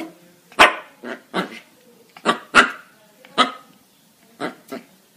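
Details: Puppies yapping: about eight short, bright yips and barks in irregular bursts, some paired closely together, clear and close against a quiet background.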